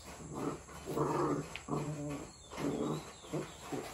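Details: Two-month-old black-and-tan Rottweiler puppy play-fighting with its mother; deep rumbling growls in bursts of about a second each, five or six rough rolling snarls separated by short pauses.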